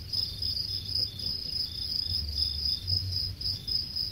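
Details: Farmed crickets in Khon Kaen, Thailand, about ten days from harvest, chirp steadily in a bright high trill pulsing several times a second.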